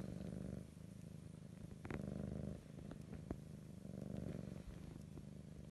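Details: Loud purring from a sleeping female cat, grey and white, comes in low rumbling waves with each breath, with a few faint taps and clicks in the room.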